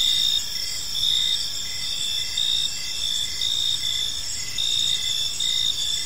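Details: Crickets chirping on an evening in a peaceful park: a dense, steady high-pitched trill layered with short pulsed chirps repeated about twice a second, over a soft low background hum.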